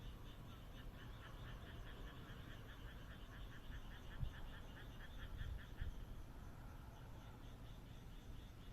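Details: Moonlit countryside night in Japan with frogs croaking in a fast, regular pulsed trill, a steady rattling chorus over low background rumble with a few soft knocks.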